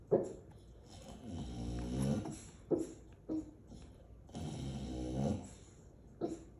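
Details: Sleeping female English Bulldog in Aliso Viejo, California, USA, on December 18, 2022: deep, drawn-out snoring breaths broken by a few brief, muffled barks, one opening the sequence and others spaced a few seconds apart.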